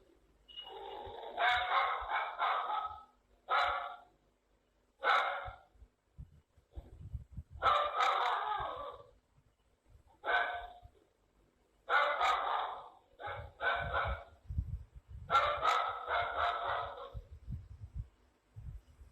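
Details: Dog giving bouts of quick barks separated by short silences, roughly three bursts per second within each bout, with low thumping noises in the background.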